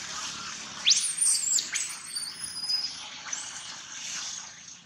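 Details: Gino, a baby monkey, cries loudly with a burst of intense high-pitched screeching squeals in the first half, fading into softer thin wails against hissing noise.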